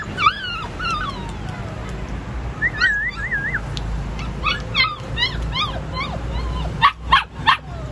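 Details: Purebred platinum-coloured Golden Retriever whining: wavering, high-pitched whimpers that rise and fall in quick loops, some drawn out, others short yips, with a few sharper bursts near the end over low hum.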